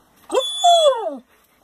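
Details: German Shepherd whining indoors while asking for its ring toy: a single drawn-out, falling whimper lasting about a second, preceded by a short rising yelp, with a woman's excited voice around it.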